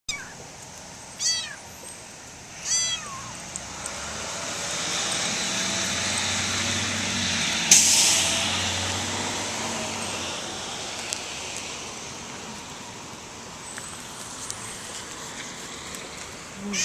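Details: A kitten climbing up a person's jeans gives two short, thin meows early on, each rising then falling, followed by long stretches of rustling fabric and steady background hum.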